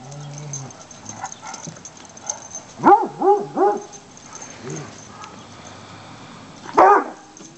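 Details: Three-and-a-half-month-old Treeing Walker Coonhound foster pups from a Michigan rescue playing in leaves on a sunny November day. Three arched, whining yips come in quick succession near the middle, a lone yelp follows later, and soft rustling fills the gaps.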